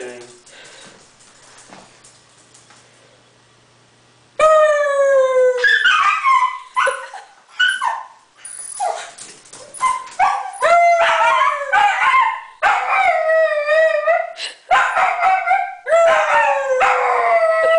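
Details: Dachshund named Merlin, a pet dog, howling indoors: after four quiet seconds, a run of loud, wavering howls with rising and falling pitch, broken by short yips and whimpers.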